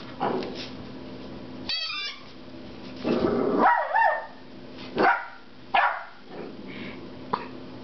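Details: Loki, a 10-week-old puppy, voices loud frustration at a squeaky rubber pig toy: several harsh barks and growly yelps in irregular bursts, a high wavering squeak near two seconds, indoors in a quiet room.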